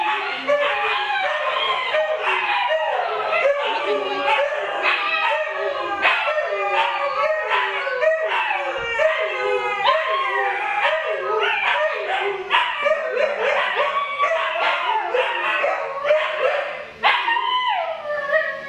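A chorus of Siberian Husky puppies howls without pause, their thin voices rising and falling over one another. Short yips and yelps break into the steady, quavering howling throughout.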